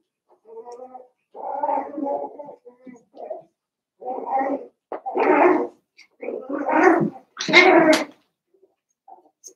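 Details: Seven-week-old Cavalier King Charles Spaniel puppies from Daisy's litter in an indoor home puppy pen: irregular bursts of yipping whimpers and small growls, about one every two to three seconds, getting louder and rougher toward the end, in a small room.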